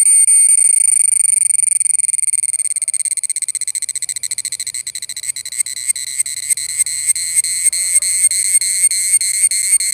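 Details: Indian cicada (cheevidu) producing a shrill, steady whine that begins as a fast pulsing drone, then slows into distinct evenly spaced pulses, roughly three per second, while staying loud and high-pitched throughout.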